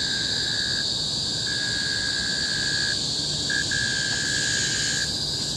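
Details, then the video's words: Cicadas in tropical forest on Bukit Timah Hill, Singapore, 2017: a loud, unbroken shrill chorus fills the high range, while a lower steady whistle-like tone runs in long stretches, breaking off briefly several times. "Symphony of the Cicadas in Bukit Timah Hill-Singapore"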